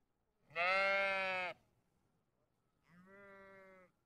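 A sheep gives two bleats: a loud, wavering baa of about a second, then a softer, shorter one after a pause.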